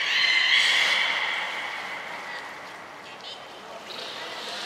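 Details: Beluga at Port of Nagoya Public Aquarium during a pool move and training session, 23 February 2021; one strong harmonic whistle at the start trails off into quieter, hissy tonal traces and background noise.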